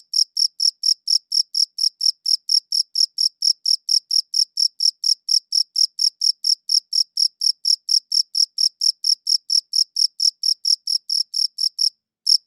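A cricket chirps steadily, giving high, clean pulses at a quick, even pace of several per second.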